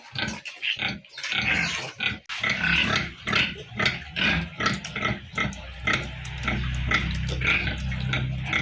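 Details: Piglets at a pig farm squeal and grunt in rapid harsh bursts, calling almost continuously, over a steady low hum that grows in the second half.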